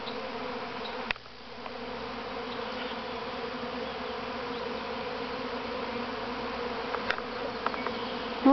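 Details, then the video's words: First swarm of honey bees leaving the mother hive at Grass Lake Sanctuary, Manchester, Michigan, 13 May 2012: continuous thick buzzing drone with a brief thump near the start and a few faint clicks later on. "Honey Bee Swarm"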